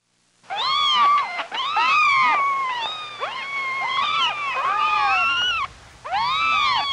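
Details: Several kittens at play on a farm meow over one another in a near-continuous overlapping chorus of rising and falling cries, with a brief pause before a final meow.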